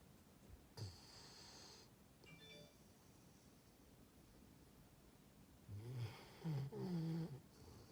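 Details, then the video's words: Sleeping dog named Dexter snores indoors: one short snort early on, then a quiet stretch before a cluster of three rough, low, buzzing snores close together near the end. "Snoring dog"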